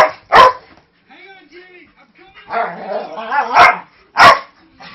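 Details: Snoopy, a 5-year-old Manchester Terrier mix with a huge voice, plays roughly with Jude, a 3-month-old husky lab mix puppy, harmlessly. A sharp bark opens, then low, wavering growly grumbles build, ending with two loud, harsh barks.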